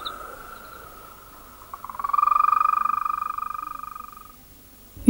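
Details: Solitary European green toad giving a melodious rolled trill likened to a mole cricket's song, starting low, swelling strongly, then fading softly over about two and a half seconds, after a faint earlier trill.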